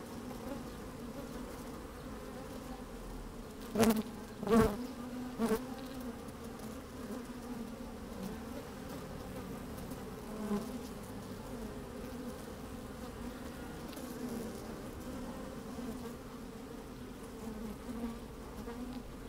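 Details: Working honey bees inside an open hive on a fine, breezy day: a constant low drone throughout, broken by two or three loud knocks around four to five seconds, then steady humming with occasional louder buzzes.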